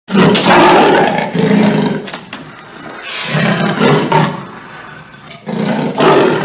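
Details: Leopard giving repeated loud, low, rough roaring calls in bursts with short pauses between them.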